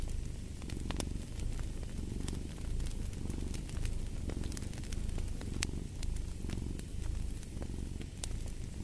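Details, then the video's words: Continuous low purr from a cat, pulsing in soft waves roughly once a second as it breathes in and out, set against crackling, snapping fireplace logs. "Purring of a Cat"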